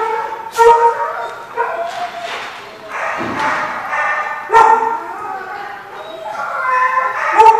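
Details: Dogs at a dog park barking in repeated harmonic bursts about every second, with yips mixed in and a noisy stretch of chatter or movement between barks.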